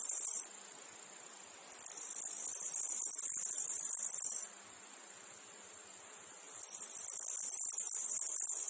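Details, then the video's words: Cicadas in a meadow field, recorded among other insects and flies: a harsh, very high buzzing drone in long bursts. It cuts off abruptly, falls to a faint hum, then swells gradually back to full strength for several seconds. "Meadow field insects cicadas flies"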